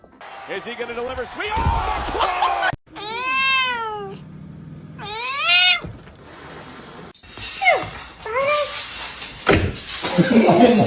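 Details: Pet cat meowing: two drawn-out, wavering meows that rise then fall, set among quick cuts with people talking, faint music and other short cat calls.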